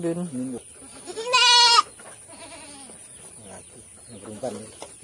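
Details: Goat bleating during a health check in Sambas: brief low vocal sounds, then a loud, shaky bleat of about half a second, followed by quiet murmuring and handling noises.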